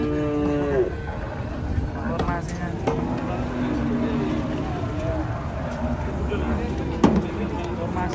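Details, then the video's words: Cows just brought in by truck: one short moo falls in pitch in the first second, then men talk over a constant engine hum while the animals are readied for unloading. "KUMPULAN SAPI LUCU DARI TRUK PERTAMA KESINI RAME SEKALI"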